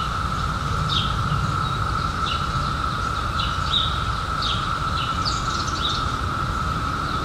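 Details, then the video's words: Cicadas from the 2021 seventeen-year emergence keep up a constant level buzz-tone, joined by a handful of quick, sweeping high bird chirps spaced a second or so apart and a dull low background rumble. "CICADAS 🌿 Sounds"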